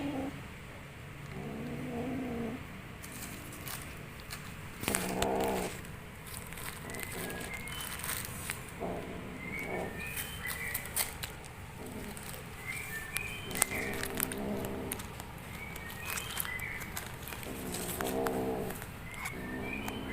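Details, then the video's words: Playful kitten giving a string of short, strained, harmonic mews and squeaks at irregular intervals, with faint high chirps and clattering handling noise throughout. "SUARA ANEH YANG KELUAR DARI ANAK KUCING SAAT BERMAIN"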